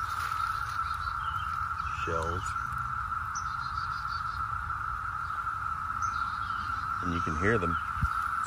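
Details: Constant shrill drone from a 2021 17-year cicada brood emerging in Northern Virginia, a UFO-like whine at a fixed pitch, with brief human voices breaking in around two seconds and again near seven seconds.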